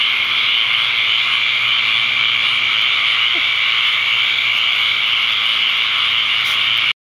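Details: Huge numbers of tree frogs calling to mate at a pond in Ocala, Florida, on the evening after the first torrential rainstorm of the season, May 6, 2010; constant high, loud buzzing chorus, ending abruptly.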